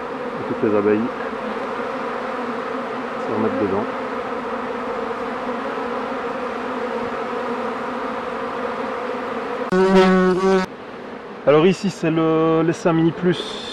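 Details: Honey bees at the hives while a beekeeper works the colonies: a steady, dense hum of many wings holding one low pitch with overtones for most of the stretch, broken near the end by a man's voice speaking in short bursts.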